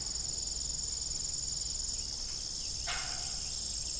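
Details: Crickets at dusk on an old farm with a broken windmill, shrill steady trilling with rapid pulsing in the highest band for the first two seconds, then a single creak near the close.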